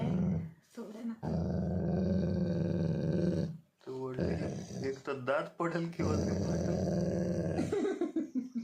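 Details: Labrador Retriever growling when angry, indoors: long, low, rumbling growls in several bursts with brief pauses, some rising into grumbling, whiny tones.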